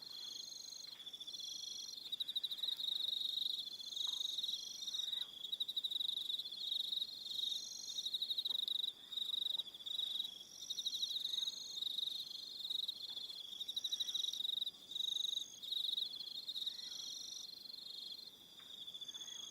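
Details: Crickets calling in the evening on Aroha Island, New Zealand, a steady chorus of shrill pulsed trills stacked at several high pitches, briefly dipping now and then, with faint low clicks beneath.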